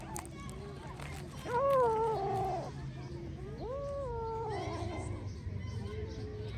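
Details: Cat giving two drawn-out, wavering meows, the first longer and louder, the second rising then falling, followed by a softer short mew, with people talking nearby throughout.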